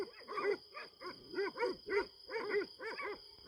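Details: Kangal dogs on a farm in pitch-dark night, confronting what seems to be a hedgehog: faint, distant barks in quick arched bursts, irregularly spaced about once a second, over a steady high electrical hum.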